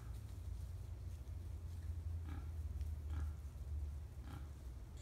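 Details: On 5 November 2015, at Tampa, wild boars grunt in short, rough bursts over a steady low rumble.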